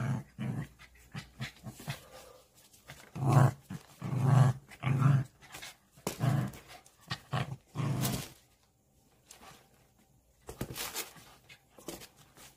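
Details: Pet dog playing indoors at home, making low rumbling growls in uneven bursts mixed with panting and soft breathy sounds, quieter gaps between, small room echo.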